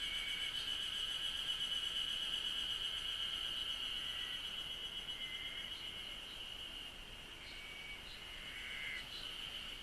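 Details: Japanese cicadas chirping: a constant shrill high drone with faint overtones, slowly fading toward the end. Occasional short whistled phrases and small clicks sound over it.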